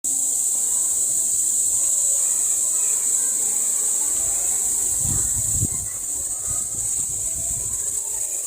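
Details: A male cicada's high, unbroken buzz hums steadily from start to finish.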